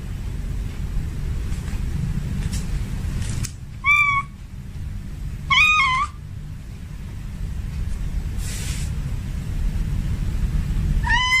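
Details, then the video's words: Domestic tomcat in heat calls for a female: a few short, wavering meows spaced by pauses amid a steady low rumble and faint hiss in between. "Suara kucing Jantan Birahi memanggil kucing Betina"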